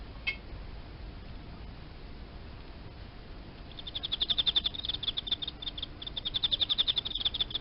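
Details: Emma field cricket held in captivity indoors; after roughly three and a half seconds of near quiet, quick high chirp pulses start and carry on in loud, rhythmic bursts to the end.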